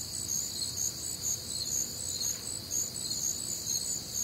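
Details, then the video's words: Warm, humid summer night in the American Midwest with crickets and other night insects: bright high-pitched chirps pulsing steadily about twice a second, multiple callers blending, faint low ambient noise. "Night Time Cricket Sounds"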